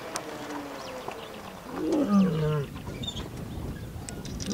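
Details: Lion roaring in Kgalagadi during a wildlife photography safari: a single short, low, groaning call falls in pitch midway through, set against a noisy outdoor background with faint clicks.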